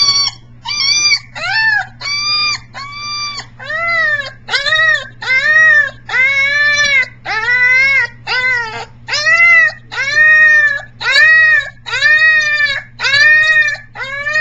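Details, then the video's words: Briard pup #7, three weeks old and very vocal, doing siren practice on July 15, 2009; repeated drawn-out wailing cries, each arching up and sliding down, roughly one per second, peacock-like at times, over a constant low hum. "Briard 7 siren practice"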